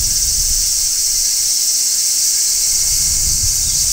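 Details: In midsummer a large brown cicada sings from a tree: an even, hissing, high shrill held without a break, over light low wind noise.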